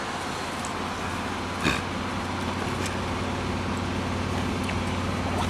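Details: Steady road traffic rumble with passing cars, and no animal voice stands out.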